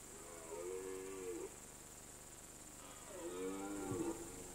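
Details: Red deer roaring in the rut on a mountain alpine pasture in September or October; two separate moaning bellows about two seconds apart, each dipping then rising, somewhat distant, with a constant high hiss behind.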